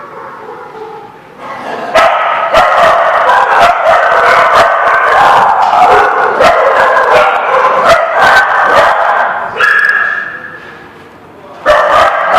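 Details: Many dogs barking together, recorded 12/09/16: dense, overlapping sharp barks and yaps several per second, with a brief quieter lull near ten seconds before the chorus bursts back in.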